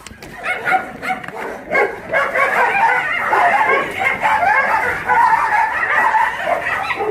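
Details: Dogs at Mindeulle Shelter, an abandoned-dog shelter in Yangsan, South Korea, playing: dense overlapping barks and yips from several dogs, rapid and irregular, with a human voice occasionally audible beneath.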